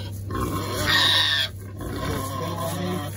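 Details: Squealing Berkshire pigs enjoying a permethrin spray against ticks and lice: one bright, high squeal rises between quieter grunting, with a constant low mechanical hum and brief talk underneath.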